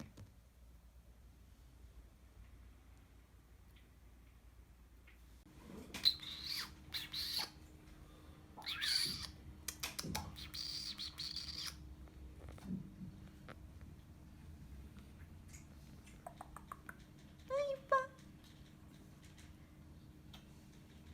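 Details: Persian Chinchilla kitten named Kkung, a pet kept indoors, lets out one short high mew with stacked harmonics near the end. Earlier come bursts of rustling and handling noise, over a steady low hum.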